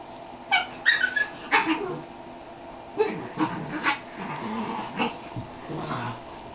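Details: Andy, a dog aged 12 weeks, lets out quick bursts of high, short yips and whimpering barks in the first two seconds, then scattered softer yelps over a steady indoor hum.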